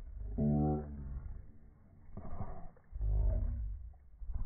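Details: Playful fight between Boston Terriers over a ball: three rough, harmonic growls, each under a second long and separated by brief pauses of quieter rumbling.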